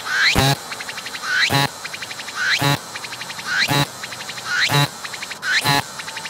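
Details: Close-up cicada calling with visible belly movements, staying put when approached; a rising buzzy sweep ends in an intense rasping pulse, then a trailing series of rapid clicks, repeated roughly every second.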